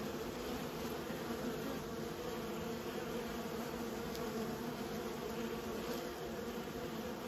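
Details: Kept honey bees make a continuous low humming buzz, thick and even, like a massed colony droning without pause. Nothing else stands out.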